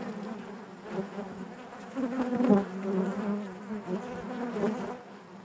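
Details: Honey bees buzzing inside their hive, a dense steady hum with a low droning core and layered overtones, swelling louder around the middle and easing again toward the end.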